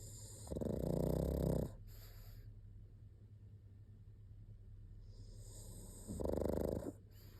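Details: Pug snoring in two rasping, low buzzy bursts about five seconds apart, each lasting roughly a second, with soft hissing breath in between.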